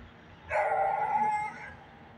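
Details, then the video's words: Dog in the woods giving a single drawn-out, tonal bark lasting about one second, steady and slightly howl-like, over quiet background. "dog barking in the woods"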